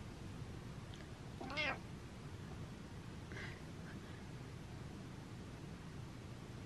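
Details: Domestic cat uttering one clear arched meow followed by a fainter short meow about two seconds later, against constant low background noise.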